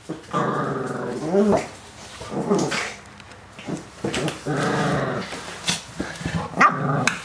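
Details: Rottweiler named Wilma and a visiting puppy named Båtsman playing together indoors; long low harmonic growls with rough breaks, short yips and barks between them, repeated in bursts over several seconds.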